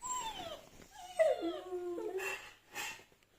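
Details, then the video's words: Dog whining in reaction to dog whining sounds played on a phone indoors; drawn-out falling whines, then a steady wavering tone, with soft noisy bursts near the end. "Dog Reacts to Howling and Whining Sounds on Phone"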